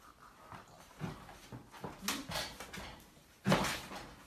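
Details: Labrador Retriever puppies indoors in Delhi: soft rustling and faint whimpering, then one sharp, loud puppy bark about three and a half seconds in, with household clatter around it.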